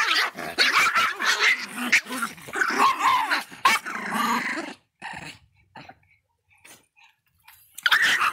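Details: Angry little Miniature Pinscher letting out a rapid run of shrill, rasping barks and growly yaps for about five seconds, then near silence with faint ticks before one last loud bark.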